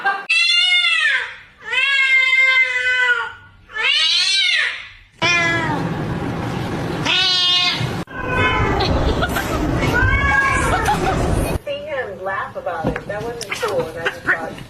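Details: Cat uttering long, drawn-out meows that rise and then fall in an arching pitch, three loud separate calls followed by more strained, wavering meows, with rougher noisy sounds and faint background noise toward the end.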